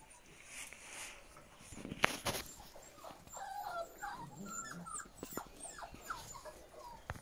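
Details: Giant German Spitz puppies in a whelping room indoors, giving many short high squeaks and whimpers, some rising, some falling, overlapping one another, with scattered clicks and rustling throughout.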